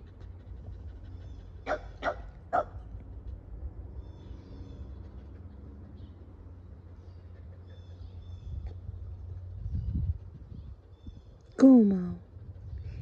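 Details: Kumo the Keeshond, affectionate with his owner, hugging and kissing: three quick barks in a rapid burst, a quiet stretch with faint rustling, then a single drawn-out whining yelp that slides downward, against a low background hum.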